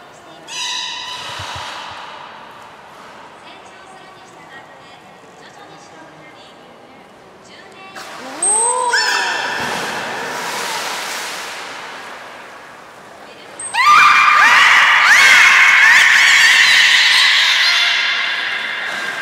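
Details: Captive beluga whales at Port of Nagoya Public Aquarium, 30 March 2019, during feeding on fish and play time. Steady harmonic tones, then rising-and-falling arched whistles, ending in a loud burst of overlapping squeals and chirps.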